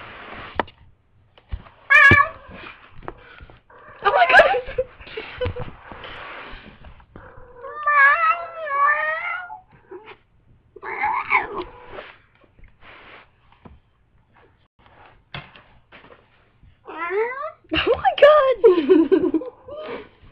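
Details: Female domestic cat in heat indoors answering people's voices with loud, wavering yowls and meows that bend up and down in pitch, in bursts separated by quiet pauses, mixed with faint human voices.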